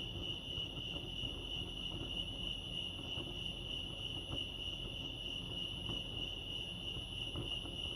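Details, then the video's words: Steady chorus of crickets at Lake Arrowhead, California: fast, shrill, evenly pulsed chirping holds one pitch from start to end over faint low ambient noise. "Serenity sounds crickets chirping lake arrowhead"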